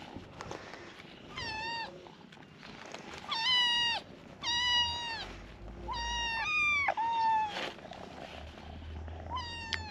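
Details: Several high-pitched kitten meows, abandoned strays hungry and awaiting their morning feeding, come in quick succession, each a bright harmonic cry that arches and then drops, repeated roughly every second with brief pauses and faint background rumble.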